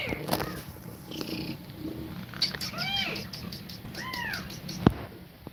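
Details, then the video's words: Domestic cat nursing her kittens indoors while breathing fast; two or three soft arched meows, each under half a second, over a quiet hum with a few clicks and taps. "Cat Breathing Fast While Feeding Milk To Kittens"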